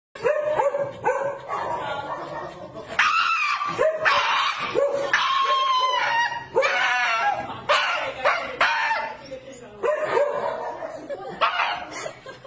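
A Shiba Inu lets out loud, shrill, wavering screams in repeated bursts.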